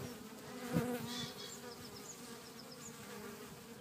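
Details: Short recording of bees humming in a back garden in Cretingham, Suffolk: a constant low buzz with a brief louder swell near the start and faint high chirps above.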